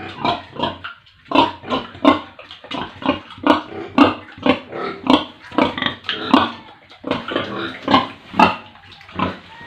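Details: Pigs and piglets on a village pig farm in India give a dense run of harsh grunts and short squeals, about two each second, some clipped and some drawn out, with no other clear sounds.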